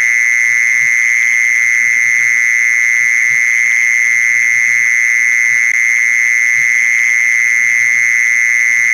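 A mole cricket's steady, high, unbroken trill, played as a lure to draw in mole crickets.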